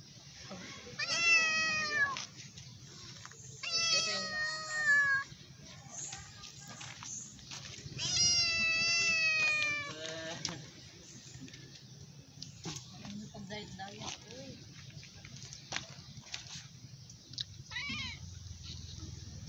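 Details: Stray cat, hungry and meowing loudly for food, gives three strong drawn-out meows in the first half, the last the longest, then fainter short mews and clicks over a steady low hum.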